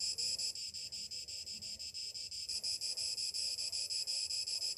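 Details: Shrill summer-morning cicada chorus, a continuous high buzz beating in regular pulses a little under three per second, with the intensity rising and falling slightly from pulse to pulse.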